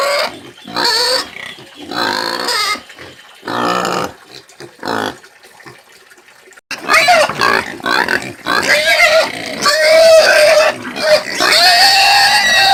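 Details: Country pig squealing: short shrill squeals and grunts in broken bursts at first, then after a brief pause a long stretch of near-continuous, harsh, high-pitched screaming.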